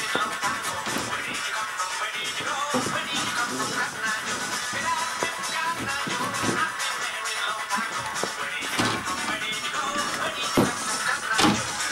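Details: Upbeat music with shuffling and tapping sounds throughout, and no barks or whimpers.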